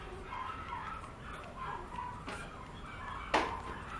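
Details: A female Boston Terrier gives soft, wavering whines, then a single sharp yip.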